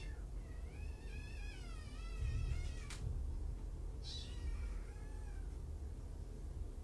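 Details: Kittens, one of five from two litters surrendered in Tacoma and brought to Purrfect Pals, indoors in the afternoon: a high quavering mew wavers for about two seconds, a fainter second call follows, over low room hum and a couple of sharp clicks.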